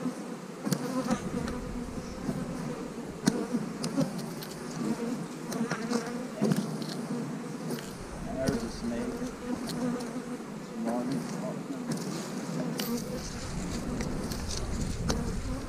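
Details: Hive-splitting day among honey bees, queen cell in the splits: a thick, continuous low hum of many bees swells and settles, interrupted by frequent clacks and knocks of frames and boxes being moved.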